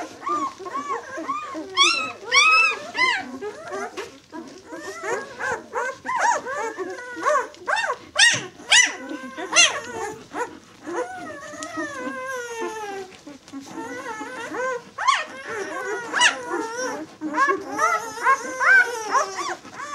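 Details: Six-day-old White German Shepherd pups from the B litter call in a busy chorus of squeaky whines and short yelps, bent upward-then-downward notes, some shrill cries, overlapping almost continuously with brief pauses.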